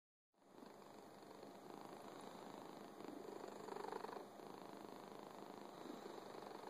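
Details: Fuzzy domestic cat purring indoors: a steady, soft rumbling purr with rhythmic pulses about three to four per second, continuous after a brief silent start, no other sounds.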